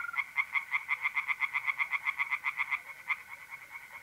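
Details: Tree frogs singing in a pond by night in mid-April, North-East Italy: a fast train of sharp, pulsed croaks, about six per second, runs nearly three seconds, then a lone pulse, over a steady thin mole cricket trill.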